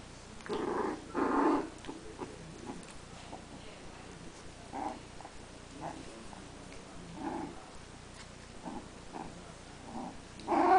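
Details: Three-week-old Teckel puppies playing for the first time, giving short soft growls and whiny yips in scattered bursts, louder clusters near the start and end, with low background hiss.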